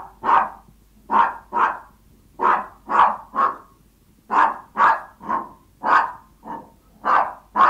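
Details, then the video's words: Hungry Yorkshire Toy Terriers begging their owner, barking in quick pairs and triplets of shrill, clipped yaps separated by short pauses, fourteen barks in all, with no other sounds. "Som do cães Yorkshire Toy Terrier latindo, quando esta com fome"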